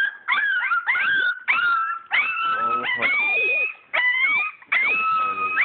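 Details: English Springer Spaniel puppies, a purebred litter born 22 July 2012, whining while at play: long clear whistled whimpers, some bending upward at the end, in separate bursts broken by brief pauses.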